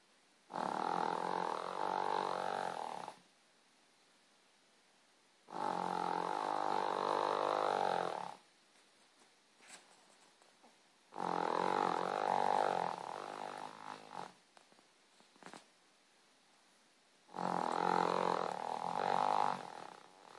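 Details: Sleeping pet dog snoring: four long rasping, fluttering snores of about three seconds each, separated by quiet pauses of roughly two to three seconds, with a steady vibrating buzz throughout each breath.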